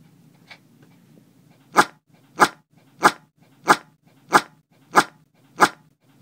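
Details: Marley, a dog, barking indoors: short, sharp barks repeated steadily about every two-thirds of a second after a quiet start, with a low rumbling growl between them.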